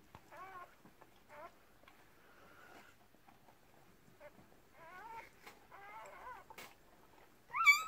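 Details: Newborn Red Merle Cardigan Welsh Corgi puppies during the delivery of a first litter of six give thin, wavering squeaks and whines, some rising then falling, with soft handling noises and a final louder cry.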